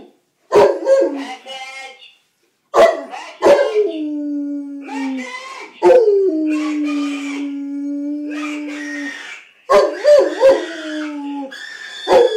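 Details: Indoor pet dog howling in response to a ringing phone: short yelping bursts, then long steady mournful tones held several seconds, dipping slightly at the ends, repeated in waves with brief silent gaps.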